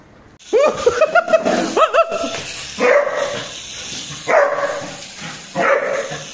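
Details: New Labrador puppy barking indoors: a run of short yappy barks with rising pitch in the first two seconds, then three spaced louder barks at about three, four and a half, and six seconds.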